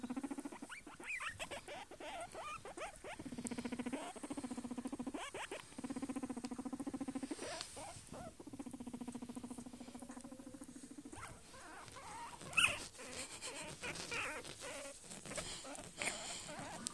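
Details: Guinea pig. A guinea pig calls in long, sustained squeals, each held steady for a second or two, with short chirps between them. Later the calls give way to rustling and light scratching.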